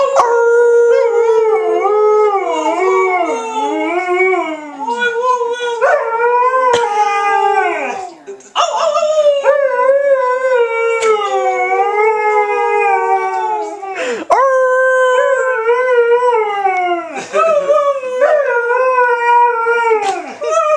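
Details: An Alaskan Malamute howls along with people in long, wavering tones that rise and fall around a mid pitch.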